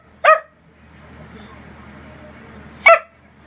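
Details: Dachshund Mic-Dog, upset when people leave or get up, gives two loud sharp barks roughly two and a half seconds apart over soft room noise.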